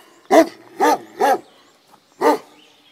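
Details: Guarding a boathouse near the Miskolctapolca cave bath in Hungary, Komondor dogs bark three times at half-second spacing, pause, then add one more rich, harmonic bark.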